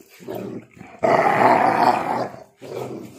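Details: A pitbull mix and a husky in a tug of war over a shoe, one growling: a rough, low, noisy rumble swelling loudly through the middle, with softer growls before and after and a person's voice nearby.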